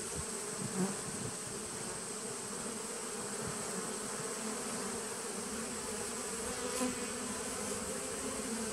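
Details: Honey bees in a nucleus colony started in 2017, recorded 19 September 2018: a steady, dense droning hum with low buzzing bands that holds unbroken throughout, with a faint hiss above.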